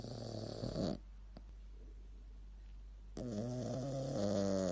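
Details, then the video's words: Snoring Shih Tzu in a quiet room: a buzzy harmonic snore fades out, a silent pause of about two seconds follows, then another rasping, slightly wavering snore begins. "Super cute Shih tzu snoring"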